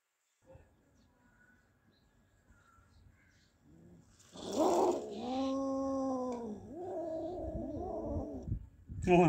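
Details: After a quiet start, one of two cats named Kaallu and Motu, holding a freshly caught big mouse, breaks into loud arched yowls, several rising and falling wails in quick succession.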